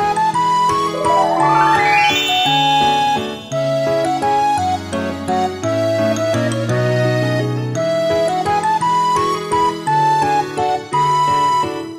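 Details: Bright, playful background music with a whistle-like melody, a rising glissando, and steady bass notes carries through without pause, and no animal voice is heard.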